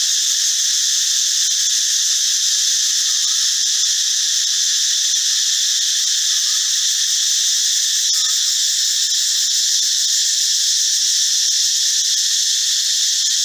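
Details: Cicadas calling in the forest, loud in the morning and at times at dusk, with only males producing the sound: a long, steady, piercing buzz in several high bands, constant in loudness throughout.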